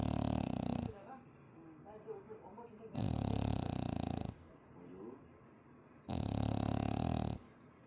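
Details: French Bulldog asleep after three straight days at a dog cafe in Chuncheon, snoring loudly: three long, rough, low rasping snores of about one second each, roughly three seconds apart, with faint voices murmuring in the quiet gaps indoors.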